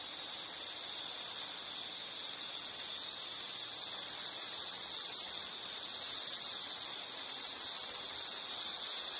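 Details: Insects singing outdoors, a shrill continuous trill that grows louder after a few seconds, with a faint higher buzzing layer above and quiet surroundings.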